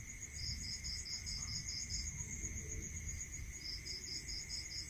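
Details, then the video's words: Rural night crickets, pulsed high chirps in two bursts separated by a gap, over a continuous shrill tone and a muffled low hum. "Listening to Cricket Sound"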